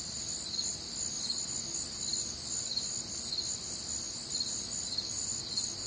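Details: Midwestern summer night chorus of crickets in warm, humid air, shrill rhythmic chirps repeating in overlapping high bands, even and unbroken, over faint low-frequency background noise.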